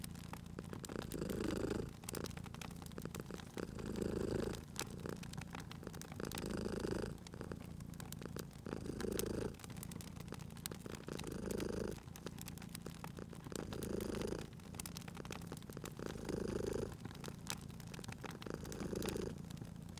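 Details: Cozy spring fireside scene with a sleeping cat purring: a continuous low rumble swells on each breath, around eight cycles at a steady pace, accompanied by a dense scatter of popping, crackling fire sounds.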